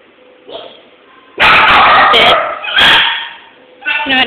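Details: Male Jack Russell Terrier indoors during a sit command with food, giving a burst of loud, sharp harsh barks around the middle, then a short single bark, while a person talks and coaxes it throughout.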